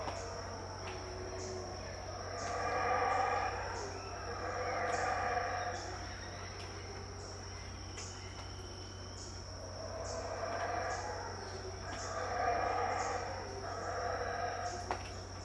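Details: Unseen howler monkeys roaring at dawn, about 6am, at Tikal, Guatemala, 2018: repeated deep surging howls build and fade every few seconds, layered over a continuous high-pitched insect tone and a low hum.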